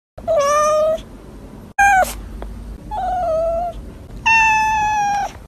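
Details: A domestic cat meows three times, each meow drawn out, clear and harmonic-rich, with a sharp short noise between the first two; the first meow slightly falling, the last long and steady; quiet indoor background.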